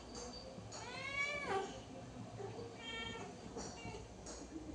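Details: A cat lets out one drawn-out meow that slides downward at its close, then a shorter, flatter mew a couple of seconds later, with people talking nearby.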